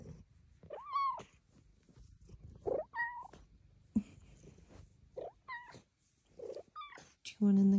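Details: Large female cat Luxey Lou chatting to her owner with tiny-voiced meows: bright, rising-falling calls about every one to two seconds, answered by soft spoken words and a brief thump indoors.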